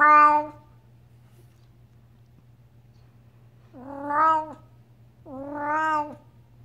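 A Devon Rex cat gives three drawn-out, harmonic meows, each rising then falling in pitch.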